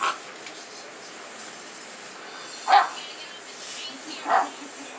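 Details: Playful Mastiff/Boxer mix puppy giving two short, separated barks about a second and a half apart against quiet indoor background.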